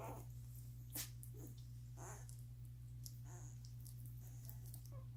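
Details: One-week-old Doberman puppies, newborn litter feeding and sleeping indoors, give soft, brief squeaky whimpers, each a short high rising-falling squeal scattered a second or so apart, over a steady low electrical hum and faint rustling.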